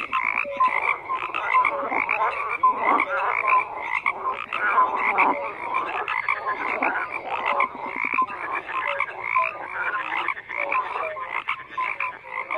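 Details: Many frogs croaking together in a thick, continuous chorus of rasping pulses, with brief clear tonal notes scattered among them and no other clear sounds.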